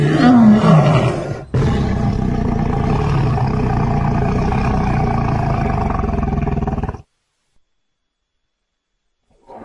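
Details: Feeding and playing in Zambia's Luangwa Valley, a lion family gives a falling moan that turns into a sustained, throbbing low snarl lasting about five seconds before cutting off into silence.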